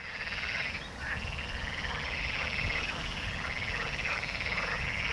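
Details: A dense chorus of water frogs on 29 November 2022, alongside a great crested grebe, gives steady rattling, quacking croaks that overlap without pause, with a faint low rumble beneath.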